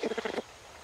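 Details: A greater bamboo lemur mother with her two-week-old baby gives a quick burst of rapid, nasal pulses that stops abruptly, the kind of call these lemurs use to warn others away from their bamboo.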